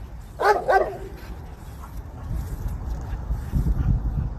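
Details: Dog named Legend chasing squirrels, letting out two quick barks early on, followed by low rumbling and rustling handling noise.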